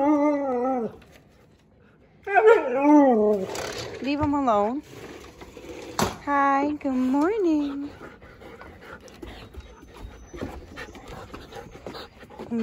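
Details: Two Siberian Huskies, Juno and Echo, howl together early in the morning around 6:00am. Wavering, yodelling howls with bending pitch come in three bursts separated by short pauses, with faint background noise.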